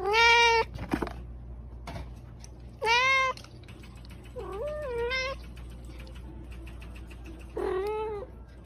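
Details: House cat meowing in short bursts, four separate meows spread over about eight seconds, some bright and clipped, one lower and wavering, with faint clicks and a low background hum.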